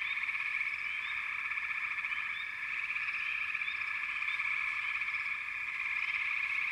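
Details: Many frogs calling together in an unbroken, pulsing chorus, shrill upward-sweeping chirps popping out over the steady trill every second or so.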